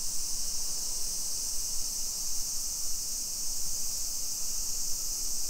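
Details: Continuous high-pitched cicada drone filling a summer street in Nisshin, about 20 km from downtown Nagoya, Japan, 2 PM, 28 July 2021; even and sustained, with a faint low hum of distant traffic beneath.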